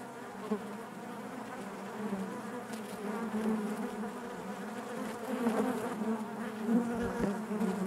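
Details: Honey bees inside their hive, a steady dense hum centred low with harmonic bands stacked above, swelling gently in loudness with brief louder pulses as individual bees pass close.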